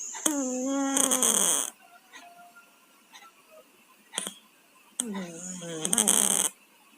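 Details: Two pet cats, Tayen and Lilu, snore in their sleep while suffering from colds. Two long nasal snores, each a hoarse, droning breath that dips slightly in pitch and ends in a rough hiss, with quieter soft breathing between them.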